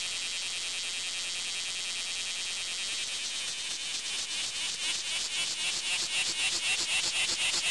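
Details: Bear cicada singing, a loud buzzy drone concentrated high in pitch, at first steady and smooth, then from about three seconds swelling and breaking into rapid pulses of about four per second that grow louder toward the end.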